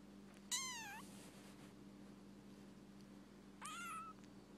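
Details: Rescued baby kitten meowing twice, about three seconds apart: each cry is high and thin, the first dipping then rising, the second flatter. A constant low hum runs underneath.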